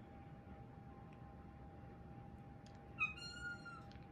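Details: Hungry four-month-old female Siberian kitten indoors gives a thin, uncatlike howl: one faint drawn-out tonal cry near the end, slightly falling, over a steady background hum.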